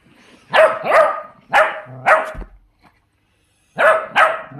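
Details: Miniature dachshunds, pet dogs, barking: sharp, bright barks that come mostly in quick pairs, about six in all, with a short silent gap before the last pair.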